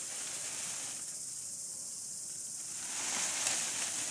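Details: Cicadas calling in a desert during a camping and shelter-building stay; a steady, high, hissing buzz fills the clip without pause and swells louder toward the end.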